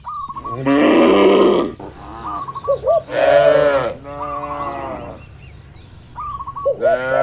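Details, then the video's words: Cattle eating in a calm barn: two loud, rich, drawn-out moos about a second each, with softer lowing between and short chirping bird calls repeated in the background. "Moo Suara Sapi Lucu"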